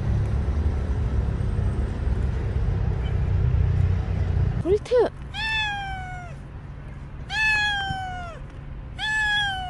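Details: Bolt, a stray cat who stayed around for a year and five months, gives three drawn-out descending meows about two seconds apart after a brief chirp. Rumbling low background noise fades before the calls begin.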